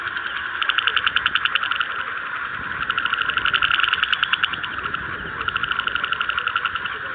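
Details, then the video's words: Several frogs, recorded in the field, give rattling croaks made of fast clicking pulses. They come in bursts about a second long that rise and fall in waves over a constant humming chorus. "Frog Sound Effect (SFX) Field Record I Frog Croak"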